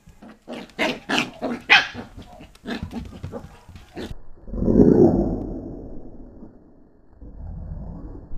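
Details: Pembroke Welsh Corgi puppy playing with a hand, filmed in 2014: a run of short, choppy vocal bursts, then a longer, lower rough growl, with a quieter rumble near the end and handling noise throughout.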